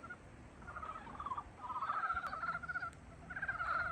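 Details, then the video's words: Spring-awakening frogs giving rapid pulsed trills, short rattling croaks at first, then longer continuous trilling bursts from overlapping callers, over a low constant hiss. "봄을 깨우는 개구리 울음소리"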